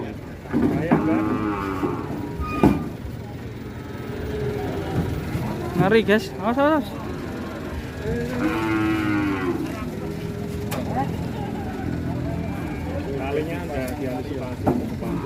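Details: Sacrificial qurban cow running wild and alarming the people around it: drawn-out, deep lowing moos rise over a busy backdrop of shouting voices and crowd noise, with sharp knocks and a vehicle rumble.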